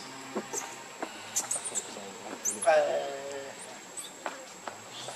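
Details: Baby monkey Lucie, a hungry infant begging for milk, gives one loud, wavering, harmonic cry lasting about half a second midway through, among scattered sharp clicks and faint chatter.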